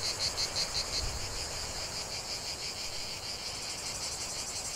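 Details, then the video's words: Chorus of cicadas singing in nature, a dense high buzzing drone with rapid pulsing, several loud pulses standing out in the first second, then a steady shimmering chorus. "45 min de chant des cigales"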